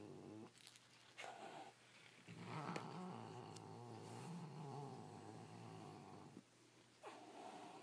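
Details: A male domestic cat indoors growls and snarls to protect his toy from another toy; a continuous low, rumbling growl with brief breathy hisses and snarl bursts at the start and near the end.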